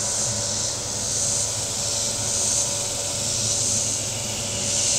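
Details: Cicadas calling from the shore of Table Rock Lake in southern Missouri on a very warm Saturday: a steady high buzzing chorus that swells and fades roughly every second, over a low rumble of boat engines on the water.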